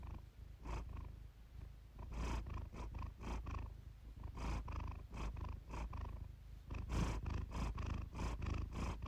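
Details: Purring from Iris, a domestic cat recorded for purr therapy and relaxation; a throaty low vibration with quicker, irregular breathy bursts, some stretches faster and louder than others.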